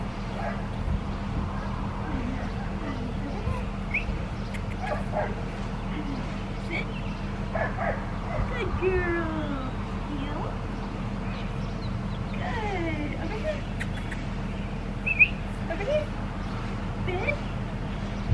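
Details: Blue merle female Australian Shepherd puppy, seven and a half weeks old, at Fifteen Acre Farms, Oklahoma: scattered high, sliding yips and whimpers over a steady low hum, with people talking throughout.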